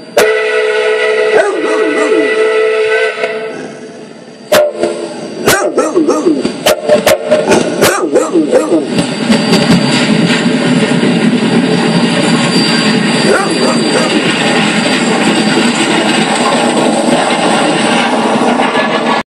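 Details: Pet dog barking at steam engine whistles: a steady, harmonic whistle blows first, then sharp, broadband barks burst out in a quick irregular series, followed by dense wavering tones with voices and whistle sound continuing throughout.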